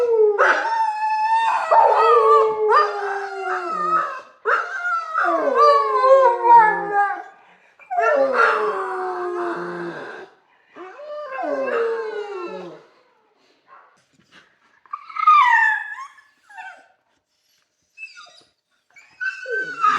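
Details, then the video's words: Dog howling in a kennel: drawn-out, wavering harmonic howls that slide downward, several overlapping in the first half, then shorter rising and falling yowls separated by silent gaps. "Dog Howl In the Kennel"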